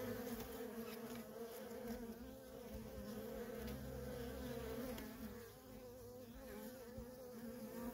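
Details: Busy worker honey bees at a feral colony, producing a full, unbroken buzzing drone with shimmering upper tones, the loudness easing briefly before building again.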